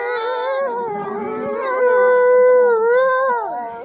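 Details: Wolves in a zoo enclosure at Asahiyama Zoo on a winter night. A chorus of overlapping howls is led by one strong voice that rises, holds a long level tone, then drops away while others waver around it.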